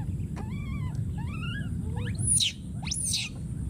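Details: A wild monkey infant calls for its friend with a few bent, plaintive wails, then breaks into two loud, piercing, very high screams, against a constant low-pitched background hum.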